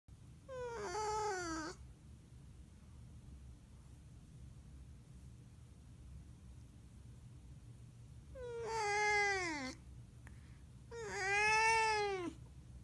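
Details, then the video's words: Domestic cat making a strange sound that its owner wonders may signal curiosity: three drawn-out, falling, whining meows with rich overtones, the first alone and the last two close together after a long quiet gap, in a quiet room. "이상한 소리내는 고양이 変な声を出してる猫"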